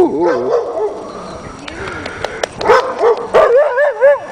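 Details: Afghan Hound named Salma barks at a playful Doberman during a walk on 24 March 2009, caught in heavy falling snow and sleet. Wavering, whining yelps repeat rapidly, and people talk close by.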